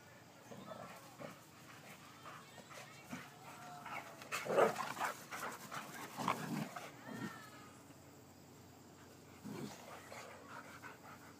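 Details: Two male Boxers, Bacon and Jake, playing rough together, recorded on an iPhone; rough growls and whining snarls rise into loud bursts around the middle, mixed with scuffling and faint human voices.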